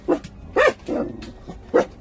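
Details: Jindo puppies at a Korean national dog association, giving short yelping barks in separate bursts, four main yips over two seconds with faint whimpering between.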